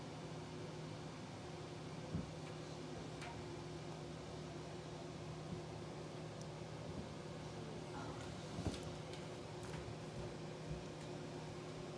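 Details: A steady mechanical hum, like a fan or incubator motor, with a few faint clicks and knocks and no clear animal calls.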